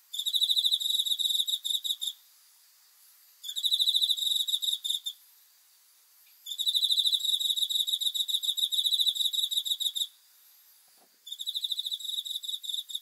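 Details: Cricket at night, giving long trains of rapid, shrill pulses about two seconds each, separated by short pauses, with a bright ringing tone and thin overtones above it. Quiet night background.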